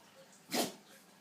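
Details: A pug sneezing indoors: one short explosive burst of breathy noise, about a tenth of a second long, against quiet room background.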